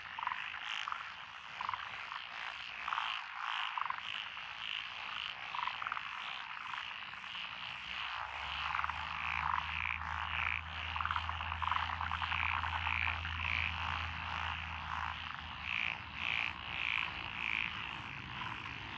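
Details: Chorus of paddy frogs in lotus rice fields, Echizen City, Fukui, Japan, 12 June 2021; rapid repeated croaks over a dense background, joined midway by a low steady engine-like hum.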